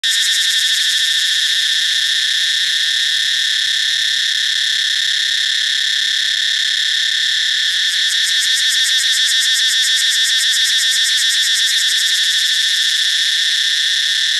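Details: Cicada. A cicada sings a steady, shrill, ringing drone that fills the whole stretch without pause. Midway the buzz takes on a fast, pulsing throb, while a faint low rumble sits underneath.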